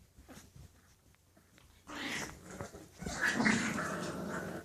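English Bulldog puppies whine and grumble in short, rough bursts after a quiet start.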